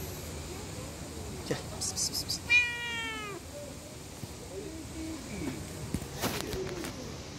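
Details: Street cat running after a person, wanting to eat: a single loud, richly harmonic meow that starts high and slides downward, preceded by short rustling bursts and followed by quieter faint mews and crinkling noise outdoors.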